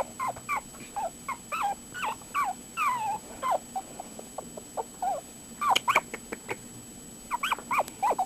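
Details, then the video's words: Young puppies from a dog's first litter howling together: a steady run of short, high, bending whimpers and yips, some rising then falling, repeated several times a second in bursts with brief pauses. "cute puppys howling"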